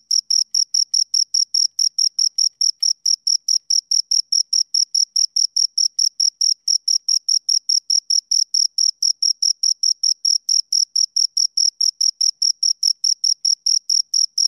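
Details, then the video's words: Steady high chirping from two crickets, rapid uniform pulses of a clear ringing tone repeating without pause throughout. "Two Crickets Chirp Sounds"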